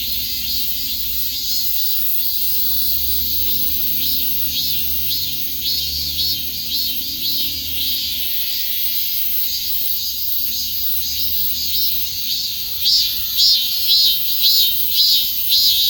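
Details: Cicada chorus, a shrill, sizzling drone pulsing rhythmically throughout, with a low hum for the first half; near the end, louder, sharper bursts of buzzing stand out above the rest.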